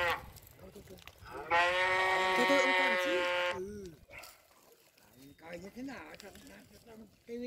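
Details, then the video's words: A cow gives one loud, even moo of about two seconds. Softer voice-like sounds and quiet background noise come before and after it. "Tiếng con bò kêu phần 1 - sound of cow"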